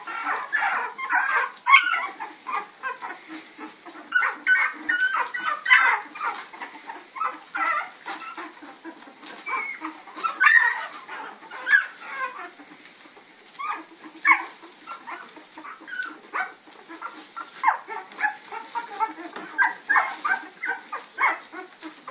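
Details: Puppies chasing Lady, recorded April 4, 2013: a busy stream of high, whiny yelps and whimpers, bursting in quick irregular clusters through the whole stretch, some sliding up and down in pitch, with brief quieter gaps between flurries.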